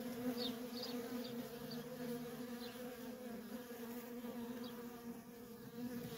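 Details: Continuous humming of worker honey bees moving in and out of a feral colony, a thick two-toned drone with a few quick whizzing fly-bys overhead.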